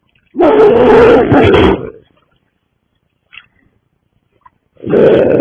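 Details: Pregnant harbor seals near Camano Island in Saratoga Passage, near Cama State Park, June 2025, heard from a nature raft: a loud, rough, roaring growl lasting about one and a half seconds, a quiet pause, then a second growl begins.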